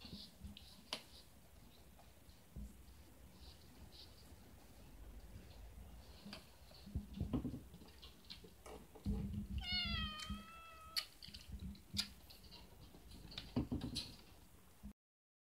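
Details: Nursing battle indoors between former rescue mother cat Gina and her kittens Luke and Leia, the mother refusing milk to clingy Luke. Midway, one drawn-out meow dips then levels and fades, surrounded by bumps, thuds and shuffling of the scuffle.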